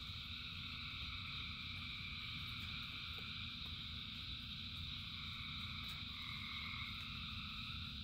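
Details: Thousands of frogs sing through a rain shower in a ceaseless high, buzzing chorus; near the end a single rising whistle-like call stands out above the steady drumming of rain.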